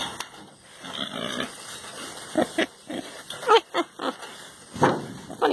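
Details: Contented male pet pig enjoying pets, scratches and ear rubs, giving a run of short, rough, breathy grunts in irregular bursts, several close together in the second half, faint background hiss.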